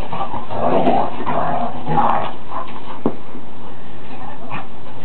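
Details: Two large dogs in rough play-fighting; rumbling growls and snarls in the first two seconds, then fainter scuffling and a sharp knock, with a person's voice nearby.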